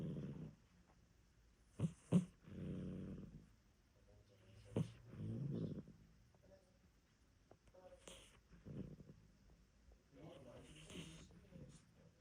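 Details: Sleeping female cat napping cosily indoors, snoring louder than expected: low, rough, rasping breaths in uneven bursts about every two to four seconds, with a few faint sharp clicks and quiet gaps between.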